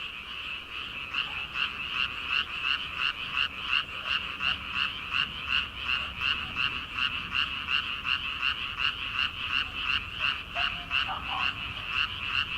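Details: Early-summer frog chorus from rice fields before planting season. Many frogs croak in a dense, even pulse of nearly three beats per second, sustained throughout with only faint background noise.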